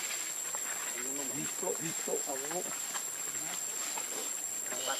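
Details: Hungry for milk, baby monkey Lucie gives a short cluster of wobbling, whiny cries in the middle of the clip, quieter phrases trailing off, over a constant hissing background.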